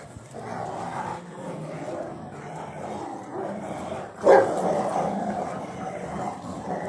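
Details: Rottweilers in a hobby garden tearing apart a tyre, giving steady low rough growls through tugging and scuffling, with a short sharp sound near the fourth second.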